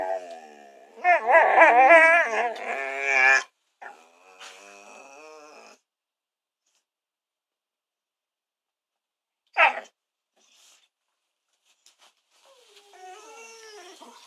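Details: Two kelpie-type dogs, one a kelpie and one a kelpie cross labrador, vocalising early in the morning; a long wavering howl-like whine with harmonic bands lasting about two seconds, then short yelps and a softer whine after a pause, indoors.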